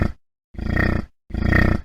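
A yak gives two deep, rumbling grunts about three-quarters of a second apart, each a low, pulsing growl that fades out, with a short tail of a third at the start.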